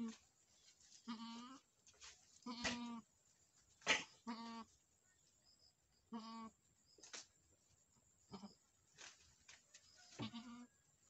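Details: Boer goats on a farm in Nepal, where a first-time doe has just given birth to a male kid; six or seven short nasal bleats with rich harmonics come at irregular intervals of one to two seconds, with quiet gaps and faint clicks.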